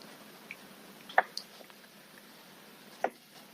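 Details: Goldfish making chop-chop smacking sounds as it eats: two distinct wet, squishy smacks about two seconds apart, with a few fainter ticks between them against quiet background hiss.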